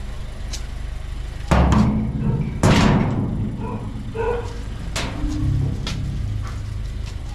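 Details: A steady low rumble of a vehicle runs throughout, broken by a couple of loud thuds like a door or bodywork being bumped. Faint music and snatches of speech sit underneath, with no clear animal voice.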